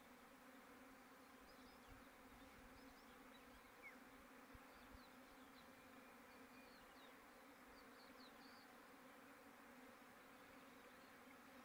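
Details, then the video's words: Bees humming loudly after a rain shower. A constant low buzz with stacked harmonic tones fills the recording, while faint high chirps from small birds come and go in the background. "The bees are very noisy after the rayn"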